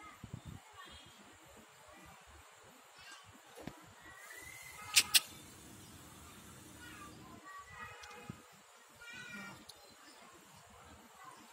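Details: Cat attacking a king cobra, after walking on a coconut tree, gives a few faint drawn-out meows late on, each with stacked tones. Two sharp clicks come midway, over a soft steady background hiss.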